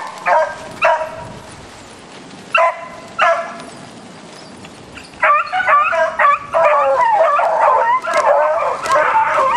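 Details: Beagle pack on a roe deer hunt, giving loud ringing bays: a few separate barks at first, then a dense chorus of overlapping howling yelps from several hounds as the chase intensifies.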